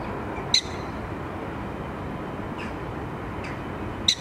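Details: Loud welcome greeting from a prairie dog at Diergaarde Blijdorp zoo: two sharp, piercing chirps about three and a half seconds apart, with fainter clicks between them, over constant low rumbling noise.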